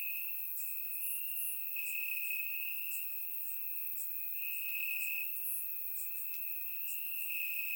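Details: Warm summer night in Bulgaria with crickets chirping in the grass: a continuous shrill trill holds steady while fainter rhythmic high chirps pulse above it, captured by a surround microphone.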